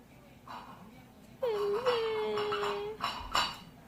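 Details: Pleading for treats, a poodle puppy lets out one long, steady, thin whine of about a second and a half, accompanied by clinking dishes and cutlery in a small room.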